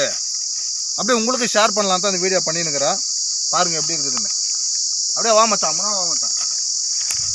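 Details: Continuous shrill drone of a cicada in a Manila tamarind tree, heard sweetly from the branches; a man's speech comes in three separate bursts over the unchanging high-pitched hum.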